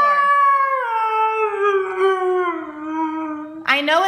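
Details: Siberian Husky 'talking' and yelling while scolded at home: one long sustained howl gradually falling in pitch over about three and a half seconds, ending in an abrupt rising yelp.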